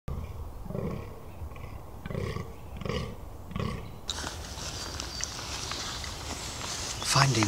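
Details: Fallow deer; rutting groan; rutting bucks groaning constantly during the rut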